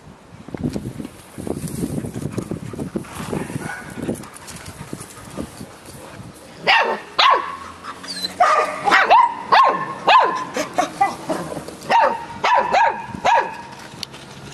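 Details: Samoyed puppy chatting with a Labrador: low grumbling sounds at first, then a quick run of sharp, high yips and short barks, several per second, in the second half.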